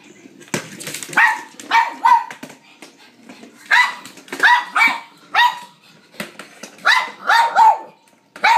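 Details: Blind female pug named Mary, excited while playing fetch with a noisy battery-operated ball she tracks by sound, giving bursts of sharp, ringing barks in quick clusters of two or three, separated by short pauses.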